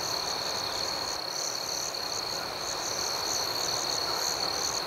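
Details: Nighttime cricket chorus forming a continuous high, even ringing drone with a faint wavering upper layer, no single caller standing out over nearly five seconds.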